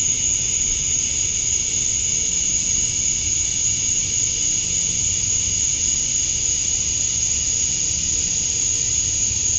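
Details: Male cicadas chirping to attract females at summer dusk in Georgia, USA: a dense, unbroken high buzzing drone holding steady throughout, topped by a thin piercing whine, with no pauses, other animals or human sounds.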